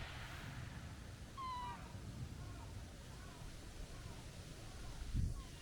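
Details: A stray tabby cat with a kitten-like voice lets out a single clear, slightly falling meow, followed by faint fainter mews and a brief thump near the end, all over low rumbling outdoor noise.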